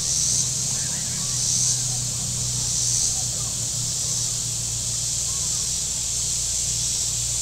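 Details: Shoreline cicadas at Table Rock Lake, southern Missouri, on a hot Saturday: a continuous shrill buzz with brief louder surges, over a steady low boat engine hum and faint voices.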